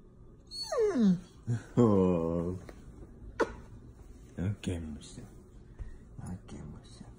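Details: A pet Golden Retriever whining to keep being petted after its owner stops, with a long falling whine, a sustained higher moan, then shorter whimpers; the owner speaks softly nearby.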